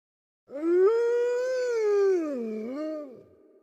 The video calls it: WOLF HOWLING SOUND EFFECT (HD) - All-round Sounds